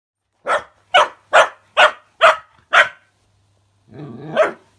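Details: Cookie, a female puppy, reacts to a fidget spinner toy with six sharp, evenly spaced barks, then a short rough growling whine rising at the end.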